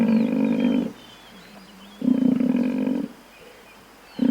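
A buffalo gives loud, steady, moaning bellows, each lasting about a second, repeated every two seconds.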